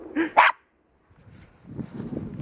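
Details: Russian Toy Terrier on a winter walk near dogs behind a fence, two short high yapping barks in quick succession, followed by silence and then shuffling, crunching footstep noise.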